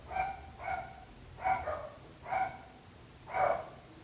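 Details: Dog barking as a neighbourhood nuisance, five clear harmonic barks spaced roughly once per second, the last one louder and broader, with faint low hum behind.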